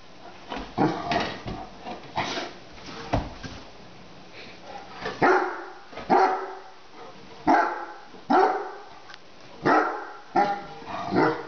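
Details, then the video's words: Lilly, a 10-month-old Great Dane puppy, barking indoors at a kitchen lid set on the floor; loud broadband barks, single and in pairs, irregularly spaced roughly every one to two seconds, with quieter huffs between. "Great Dane Puppy ... Afraid of a Lid?!?!"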